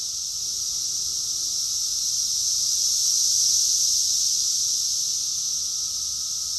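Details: Summer cicadas in Rockville, Maryland, June 2021, massed in chorus: an unbroken shrill buzz, rising gently to a peak near the middle before easing slightly, with a thin steady hum underneath.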